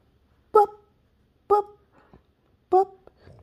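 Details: Boston Terrier puppy named Pearl, indoors in a small room, reacting to loud neighbors: three short, sharp, tonal barks roughly a second apart, with a man talking before and after.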